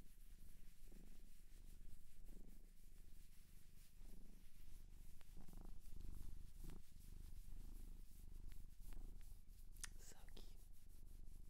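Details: Cat from a shelter in Japan purring softly indoors, ASMR style: a quiet low rumble with gentle breath-timed swells, broken by scattered clicks and a brief scratching rustle near the end.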